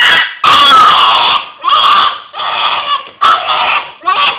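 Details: Hiro, a pet dog, makes strained rasping howls in five or six loud bursts, rough and grating, indoors.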